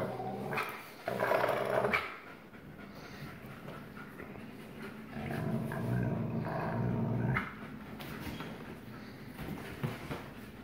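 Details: Father Astro, a black-phased 44% wolf, growl-plays with son Kandor, 56% wolf, on 1 August 2018, asserting dominance: intermittent low, rumbling growls and snaps among scuffling and panting, quieter than the surrounding recording.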